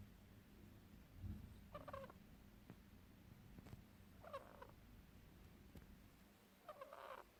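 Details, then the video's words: Pet ferret Lilly Fee fast asleep and snoring, with three soft raspy nasal breaths spaced roughly two and a half seconds apart, each a brief wheezy rasp, over a quiet low background hum. "Frettchen schnarcht"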